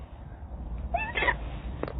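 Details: Domestic cat in a compilation of funny cats, giving one short rising-then-falling meow about a second long over a steady low indoor hum, followed by a faint brief click.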